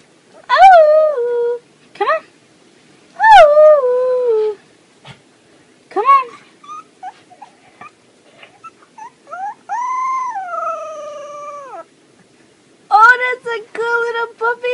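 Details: Puppy howls: drawn-out wails that start high and slide downward, repeated in bursts with gaps of silence, then a longer level howl and a final run of quick wavering cries.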